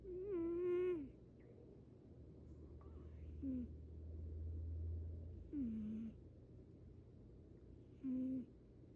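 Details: Male Munchkin cat snoring: squeaky, whistled nasal tones that slide downward, four spaced breaths in nine seconds, the first the longest and loudest, over a low steady hum.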